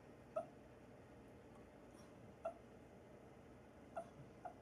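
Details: While asleep, a dog lets out brief high squeaks and soft whimpers about once every second or two, faint against steady room hiss.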